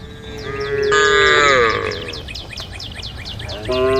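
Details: Cattle on a road at a forest's edge calling the herd: one long, strong moo that bends downward, then the start of another, over continuous quick high chirps.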